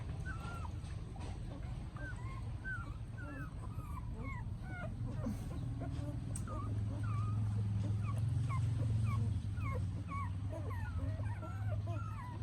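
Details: Puppies with their mother dog in Siem Reap, Cambodia, giving a steady stream of thin, high whimpering squeaks, each short and curving up or down, overlapping at nearly three per second over a low, constant rumble.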